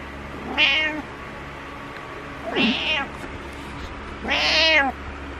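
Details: Butters the pet cat meowing insistently in the morning: three drawn-out, bright meows roughly two seconds apart, each swelling and bending downward, over a steady low room hum.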